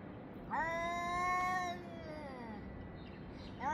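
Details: Cat yowling toward another cat around 6:01 to 6:04 summer time on 3 Av 5785: a single rising then gently falling moan over steady background hiss, with the next wail just starting at the end.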